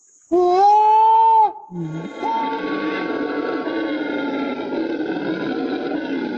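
A monkey gives a loud, clear, wailing hoot that holds steady for about a second.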